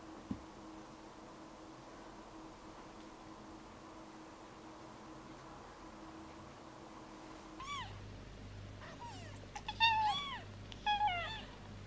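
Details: Piper the cat's five newborn kittens fighting over her milk; after a quiet stretch of low room hum, a burst of high, bending kitten mews breaks out, several in quick succession, rising and falling in pitch.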